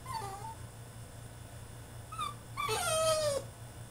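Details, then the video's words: Caged male French Bulldog in a tantrum, making soft wavering whimpers that build into a louder, longer falling whine near the end, over a low background hum. "FRENCH BULLDOG THROWS TANTRUM IN HIS CAGE!!"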